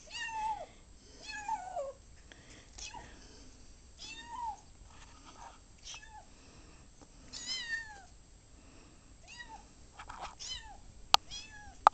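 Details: Indoor Ocicat newly brought home, meowing while chasing a laser: bursts of short downward-sliding meows, some in quick pairs, with quieter gaps and a couple of sharp clicks near the end.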